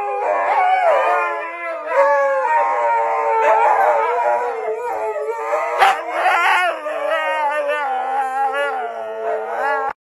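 A Siberian husky howls and yodels in long, wavering, sliding tones with rich overtones.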